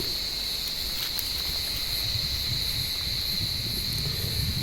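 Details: Cicadas calling from an olive tree on a warm evening, blind cats climbing after them: a steady, unbroken high buzzing drone holding one even pitch throughout, with faint low rumble beneath.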